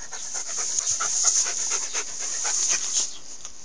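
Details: Alaskan Malamute panting steadily, quick breathy huffs following one another several times a second throughout, with no other clear sounds.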